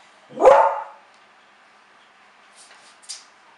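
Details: Beagle, a small scent hound breed, giving one loud, sharp bark that trails off within half a second, followed by quiet stretches and a few faint brief clicks.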